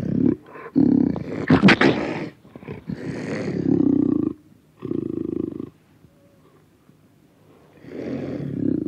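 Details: Panther recorded close up, giving rough, raspy growls and roars in bursts of one to one and a half seconds, broken by short pauses, with a quieter gap before a final growl.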